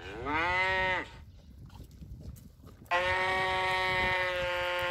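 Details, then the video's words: Cow mooing: a short moo with a rising start lasting about a second, then a pause of faint background noise, then a second steady, level moo that runs on to the end. "Tiếng con bò kêu phần 1 - sound of cow"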